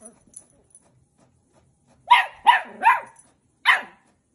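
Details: Dachshund barking: four sharp, fairly high barks in quick succession, three close together then a short pause before the last, with near silence around them.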